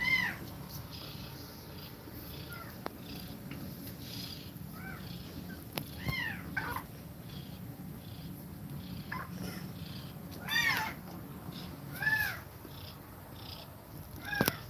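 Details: Kittens feeding on milk from their mother cat, who breathes fast. Many short, high, arched mews are scattered throughout, several in quick pairs. They rise over a low continuous hum and soft rhythmic breathing.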